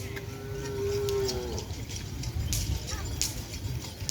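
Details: Cattle at a Kerapan Sapi bull race training session with all entrants, held at a field in Asemanis before a race. One steady, drawn-out moo lasts about a second and a half, followed by low rumbling and crowd noise.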